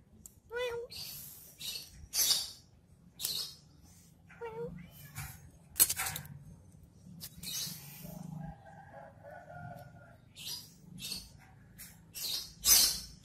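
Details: Cat at play with a stick: two brief meows, the first wavering and the second gliding upward, several seconds apart, buried among repeated loud clattering and scratching bursts, with a soft steady tone in between.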